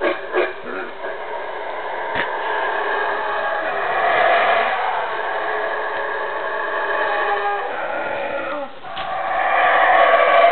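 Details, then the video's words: A wild male black howler monkey defends his territory in Calakmul Biosphere Reserve, Mexico, with a deep, rasping roar that swells and fades in long, sustained waves. "Wild black howler monkey howling"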